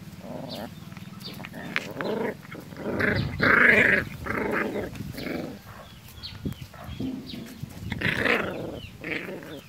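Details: Nursing puppies whimper and grunt, with overlapping squeaky, harmonic whines and soft growly murmurs that swell loudest midway and again near the end, amid shuffling suckling noises.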